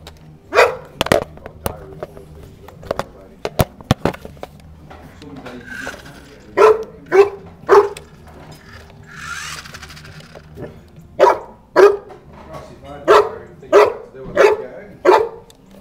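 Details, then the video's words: A one-year-old Newfoundland named Eva barks while playing with a toy car: a run of short, sharp barks in uneven bursts, some spaced close together, with clattering toy noises and a voice heard between them. "1 year old newfoundland playing with toy car"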